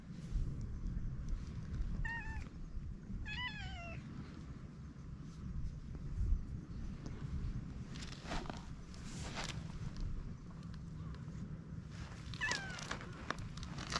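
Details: Stray cat, at first timid, growing affectionate while having its head petted; a few short rising-falling meows early on, then rustling and handling noises, with another brief meow near the end over low background rumble.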